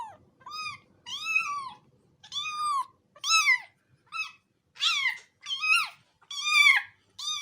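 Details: Cat giving a rapid run of varied meows, some rising then falling, others harsher and more strained, nearly one per second, with faint low background rustling at the start.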